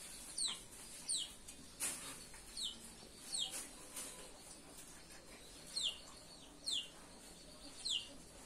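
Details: Chow Chow puppies giving high, thin squeaks that slide sharply downward, roughly one every second, about eight in all, over a steady background hiss.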